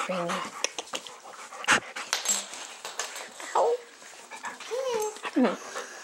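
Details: A 12-week-old golden retriever/German Shepherd mix foster puppy playing with pals in Troy, Illinois; squeaky whines and short yips mix with scuffling and thumps, and a woman speaks between the cries.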